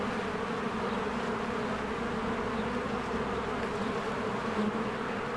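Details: Busy bees crowd around their cozy hive in spring. A continuous, even buzzing drone fills the air, holding a low humming band, with a slight swell in loudness close to the end.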